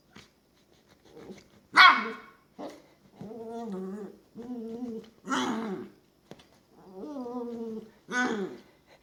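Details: A female long-haired dachshund puppy plays by herself in her bed, giving playful growls broken by sharp little barks.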